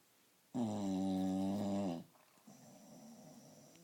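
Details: English Bulldog. A sleeping English Bulldog lets out a long, buzzy snore with a steady humming pitch, then drops away. A quieter, breathy rasp follows as it draws the next breath.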